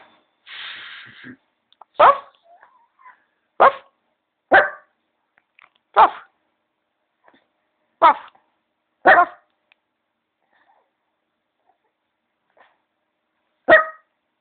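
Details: Griffon (Canis familiaris), bark.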